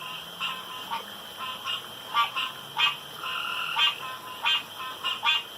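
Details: Night chorus of frogs at a pond: quick, uneven bursts of rattling croaks from several animals overlapping over a constant high-pitched background drone.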